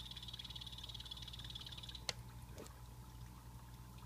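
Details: Pet blue-bellied poison frogs in a planted vivarium trill in a fast high buzz for about two seconds, which stops abruptly at a sharp click; a soft knock and low hum follow.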